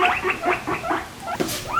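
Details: A guinea pig gives a quick run of loud, high squeaks ending in a rising squeal.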